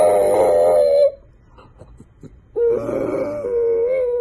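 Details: French bulldog puppy giving two drawn-out, wavering howls, each about a second long, with a quiet pause between them, recorded in a small room.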